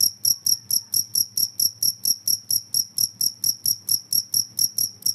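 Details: Noisy cricket chirping said to make rats flee: sharp high-pitched pulses in a steady, regular series of about four per second, over faint low background hum.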